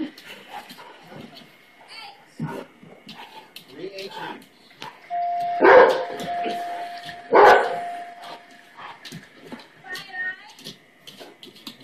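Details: Half Labrador, half Great Pyrenees dog indoors, barking at doorbells on the TV show Wheel of Fortune and joined by a purebred Great Pyrenees. Two loud, sharp barks come about two seconds apart over a steady electronic doorbell tone, with people talking throughout.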